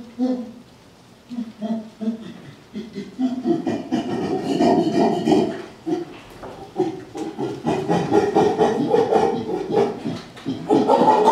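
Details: A male chimpanzee pant-hoots during a display shortly after a small fight among the chimpanzees, low breathy hoots building into louder, rougher scream-like calls as he lets off steam.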